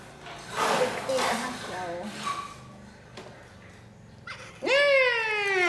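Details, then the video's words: Orphaned baby monkey Poy protests a bath with an angry cry. Hushed human voices come first, then a sudden loud, rich, drawn-out wail that slides gently downward and holds to the end. "Monkey Baby Poy Crying Angry MaMa Bathed"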